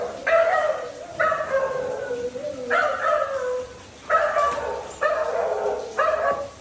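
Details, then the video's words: Labrador Retriever Dhoni voicing long, tonal, yelping barks with falling pitch. About six come in a row, some stretched past a second, with short gaps between them. "#barking #sound effect of our #dhoni #labrador"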